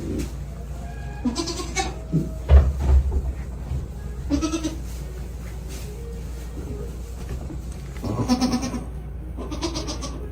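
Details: Baby goats on a goat farm bleat in short, wavering, nasal cries, several calling in turn.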